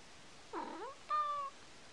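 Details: Male house cat cooing like a dove, giving two brief tonal calls: the first dips and swoops upward, the second is a steady, clear, level tone, with a quiet background otherwise.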